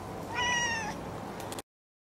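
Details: An indoor domestic cat, one of four cats drawn to a strange new toy, gives a single short meow that holds steady and then falls slightly, followed by a few soft clicks and rustles.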